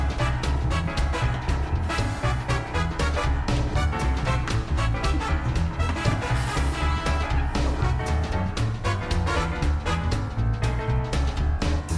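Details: Upbeat swing-style music with a driving beat and brass-like tones plays throughout, with no animal sound.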